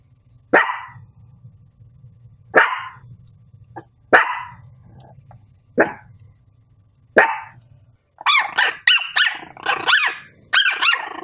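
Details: Dog barking in single loud barks about every one and a half seconds over a low steady hum, then a quick run of higher yelping barks near the end.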